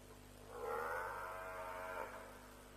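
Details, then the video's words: African buffalo at a lions' kill at Djuma around 3 a.m., dated 07/03/07. It gives a single drawn-out, wavering bawl of about a second and a half, rising and then levelling off, over a steady low electrical hum. "Buffalo Sounds - Lions' Kill"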